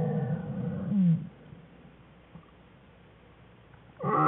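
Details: Crying from one of Jewel's black bear cubs in their den, February 21, 2013; a harsh wail that ends with a short falling squeal, a long near-silent pause, then a fresh high cry starting.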